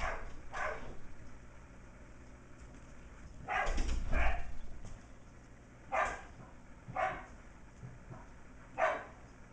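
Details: Playful Sheltie puppy of nearly six weeks, MacTavish, chasing older dog Sasha indoors while razzing penned puppies; short high yips spaced irregularly every one to two seconds, with a thumping scuffle and a paired yip near the middle.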